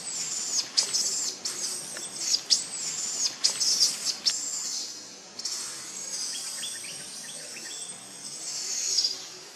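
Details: Cambodian baby monkey at the Angkor temples, left by its mother, cries in quick high-pitched squeals, then one long drawn-out wavering wail that slowly rises and fades.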